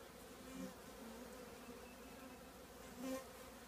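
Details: Many honey bees of a colony housed in an old trash can make a constant low droning buzz, with individual bees flying past and briefly louder near the half-second and three-second marks.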